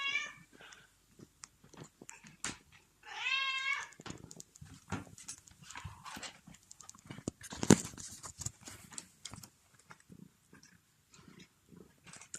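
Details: A hungry pet cat meows: a short cry at the start, then a strong wavering meow, followed by faint murmurs, clatter and a sharp knock amid indoor household noise.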